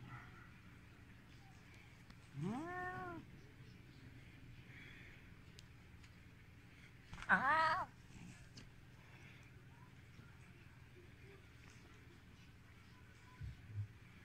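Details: Red Siberian cat named Volt, annoyed at a hand held out to it, gives two short strained meows about five seconds apart, the second louder and wavering, over steady low room hum with a faint knock near the end.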